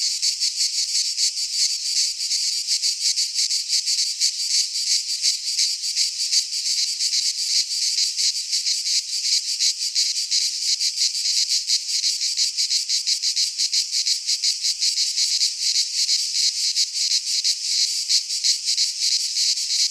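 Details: Many cicadas sing in a pine forest in Greece at midsummer, producing a relentless shrill buzz with quick regular pulses about three per second, steady for the whole stretch, and no other clear sounds.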